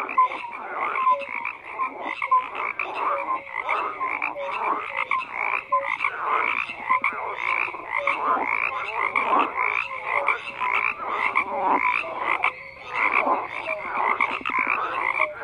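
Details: Continuous frog chorus: many callers overlap in raspy pulsed croaks, punctuated by brief clear tonal notes, the mass of sound swelling and dipping without a break.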